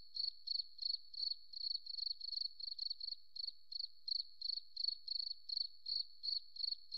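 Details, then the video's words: High, thin cricket chirps in a forest, each a tight cluster of pulses, repeating about three times a second with slightly uneven spacing; quiet background otherwise. "Beautiful Cricket Sound, Forest Relaxing"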